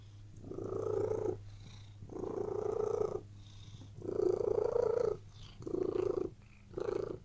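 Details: Purring cat resting on a bed: five rhythmic, buzzy purr surges, each a second or so long with short pauses between, and a soft low hum beneath.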